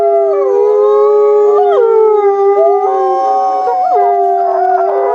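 A group of wolves howls in chorus, each voice holding a long tone that bends and slides between pitches. The overlapping howls weave around one another, with sudden upward swoops breaking the steady drone.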